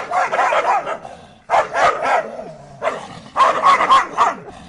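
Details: Dogs barking almost nonstop, harsh, noisy barks run together in three long volleys separated by short lulls, with a faint whimpering tone between them.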